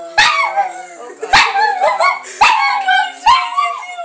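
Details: A pug named Carrie howls in four drawn-out, wavering cries, each opening with a sharp yelp and sliding down in pitch, spaced about a second apart.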